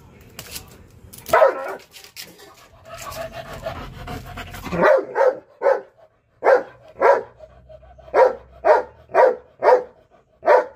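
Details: Belgian Malinois dog barking at a cat: a noisy, scuffling opening with a few scattered barks, then a steady run of about a dozen sharp barks, roughly two each second, over the final six seconds.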